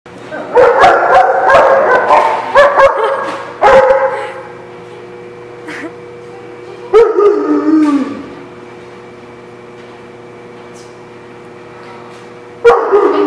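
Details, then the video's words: Dog barking, recorded 12/7/15: loud rapid bursts of harsh barks in the first four seconds, a drawn-out bark sliding downward near seven seconds, a long quiet stretch, then a fresh loud bark at the end. "The Barking Lot"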